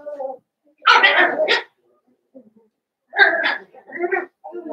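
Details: Blenheim Cavalier King Charles Spaniel puppies from a litter of five born at New Year's to Paris and Spike, in an indoor puppy pen. Two loud, harsh yelping bursts about two seconds apart, with softer murmured voice-like sounds between.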